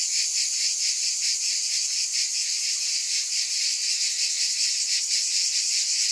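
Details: Cicadas in a steady, dense chorus, a high shimmering buzz held without pause and pulsing faintly several times a second; no other sounds.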